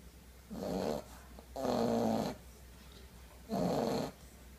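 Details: English Bulldog puppy asleep with a new stuffed bunny, snoring in three rough, rasping bursts, each lasting under a second and spaced about a second apart, with a quiet room between breaths.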